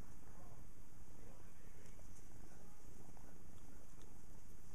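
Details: Purring from an 11-week-old white kitten, indoors after waking from a nap and playing with fingers; a steady low rumble throughout with faint clicks and rustles.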